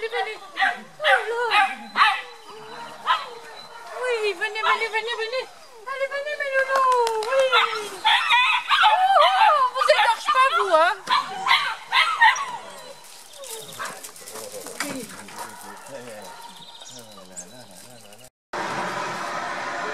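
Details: Nine Beauceron puppies aged seven and a half weeks, the litter of Ingalls des Feux de l'Ange and Jaeger du Murier de Sordeille, out on a walk: overlapping high wavering whines and sharp yips for twelve seconds, then quieter rustling.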